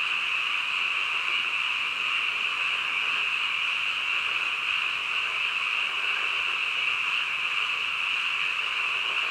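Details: Midnight frog chorus: countless overlapping calls merge into one constant high-pitched drone, level and unchanging from start to finish.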